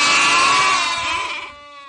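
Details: A goat, one of the tree-climbing goats of Morocco's argan forest, gives a loud, harsh bleat that wavers and fades over about a second and a half.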